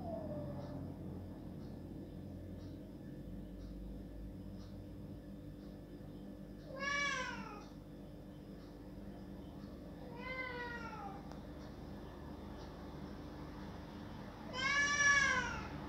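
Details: Domestic cat crying loudly to have a door opened: three drawn-out, arching meows, at about seven, ten and fifteen seconds, separated by quiet gaps over a steady low indoor hum.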